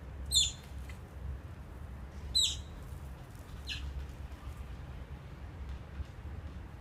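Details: Oriental small-clawed otters at Copenhagen Zoo, recorded 17 November 2016 while building a nest: a few sharp, high squeaky chirps, two loud ones about two seconds apart and a fainter third, over low steady background rumble.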